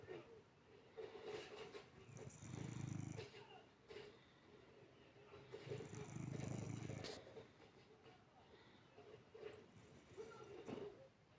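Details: Domestic cat asleep with its eyes open, snoring: two low, rumbling snores about three and a half seconds apart, each lasting roughly a second, with a faint steady hum underneath.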